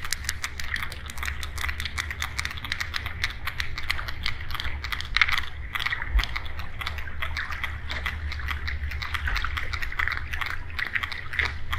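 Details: Sperm whale (Physeter macrocephalus) echolocation clicks: sharp, dry, rapid ticks in an uneven train over a low underwater rumble.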